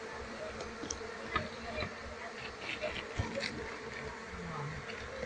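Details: Asian honey bees, Apis cerana, humming loudly while their wild colony is handled and the queen searched for ahead of moving them to a box; a steady buzzing drone with scattered taps and rustling.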